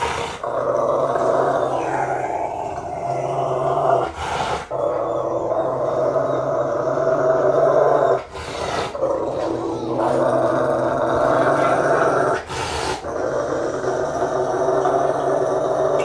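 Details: Bear, a Rottweiler, growling and rumbling while being bathed, brushed and dried. A continuous deep, buzzy rumble runs nearly throughout, broken by brief loud rushing bursts about every four seconds.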